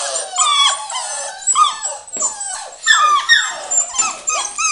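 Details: Samoyed puppies at seven weeks old, two boys and three girls, whining together in a dense tangle of high, bending squeals and short yips, several pups calling over one another without pause.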